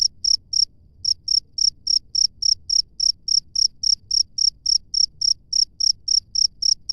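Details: Wild cricket calling outdoors: crisp, high chirps repeated roughly three to four times a second, with a brief gap near the start, over a quiet low hum.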